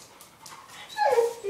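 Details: Sawyer, an eight-month-old English Springer Spaniel hunting dog, whimpers while chasing a cat hiding under a car: one short, high, tonal whine that slides downward and swells near the end, over a quiet background.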